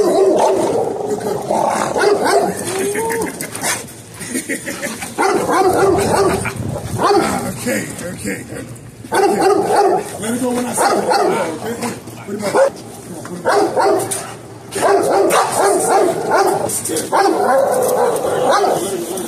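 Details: Bite sleeve training with two dogs, Legend, a male XL American Bully, and Smooch, a female American Bulldog hybrid: rapid, uneven barking in clustered bursts throughout, mixed with human voices.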